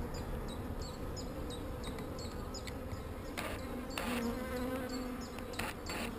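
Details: Not so angry honey bees droning over a frame as queen cells are cleared; a continuous low hum with high chirps ticking in series, broken by several sharp knocks and scrapes of handling.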